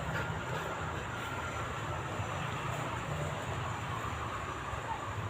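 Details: Steady broadband rumble of a passing vehicle or train with no animal sound heard.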